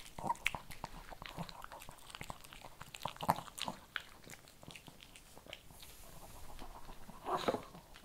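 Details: Kibble being chewed by a Shih Tzu: rapid crisp crunches, a steady chewing rhythm broken by a few louder bites, with a brief hiss in the middle.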